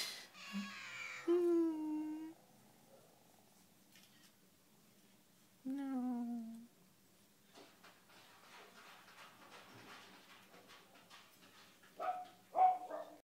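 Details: Cat at a shelter, indoors in a small quiet room: two drawn-out, tonal meows with a slightly falling pitch, about four seconds apart, after a short opening call; faint clicks and rustling between them, then brief higher sounds near the end.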